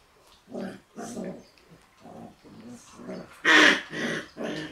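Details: Shiba Inu puppies, one female born 11 March and a male born 25 March, playing together indoors: short throaty growling bursts repeated about every half second, rising to a louder yelping snarl near the end.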